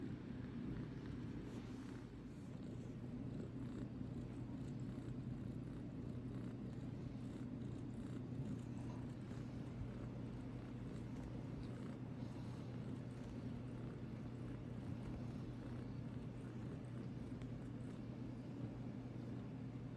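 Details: Idgy, a tiny runt house cat, purring steadily for the whole stretch: a low, even rumble with a constant hum beneath and faint rustling on top.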